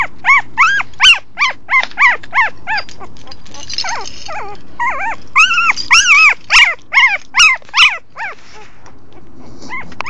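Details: Young puppy born to the family dog's mother, whimpering insistently in quick repeated arched squeals, a dense run of about two a second with a brief break midway and a quieter tail at the end.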